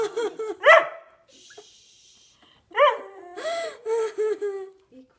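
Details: A whippet gives high, harmonic whining yelps in short bursts, the pitch arching up and down, with a breathy pause midway and a longer wavering whine near the end; a person murmurs softly nearby.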